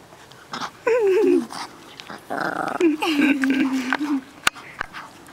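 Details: A yorkiepoo puppy playing outside in a backyard with several siblings gives wavering, whiny tonal calls that fall and then level off, in two bursts, over people talking and laughing nearby.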